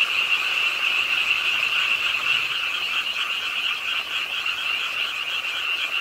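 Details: Pond-side frog chorus in Ingye Arts Park, Suwon, during a late-night rainfall; countless rapid croaks blend into one continuous, throbbing trill that holds steady throughout, with rain hissing in the background.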